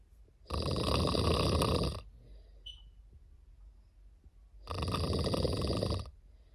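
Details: A sleeping cat gives two loud, raspy snoring breaths, each lasting about a second and a half, about four seconds apart, with a faint short squeak and quiet room tone in the pause.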